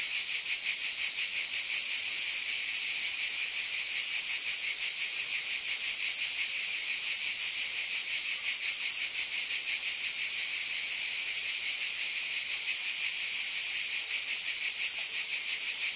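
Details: Cicada chorus heard on a summer night as a steady, piercing high drone, beating quickly about three times per second, unchanged in level over the whole stretch.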